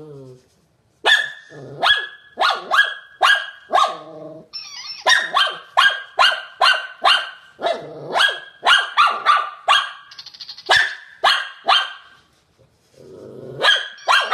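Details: Shih Tzu from a 2016 compilation keeps up a long, steady series of shrill, snappy barks in quick succession, with brief low growly sounds near the start and end.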